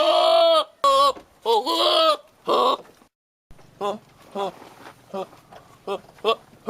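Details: Male billy goat calling at a female nanny goat to show his love: loud, harmonic, wavering bleats with bending pitch, several in quick succession, then shorter, quieter clipped calls repeated roughly every half second.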